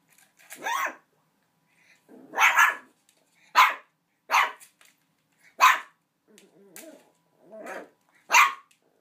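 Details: Puppy Buddy keeps barking at a big gift bone that seems to frighten him; seven short, sharp barks spaced roughly one to two seconds apart, with faint murmured human speech between some of them.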